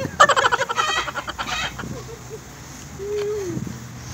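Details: Affectionate goat being bottle-fed in Bahrain: a loud, tremulous, pulsing bleat with stacked harmonics lasts under a second, followed by quieter short sounds and a low steady hum-like tone near the end.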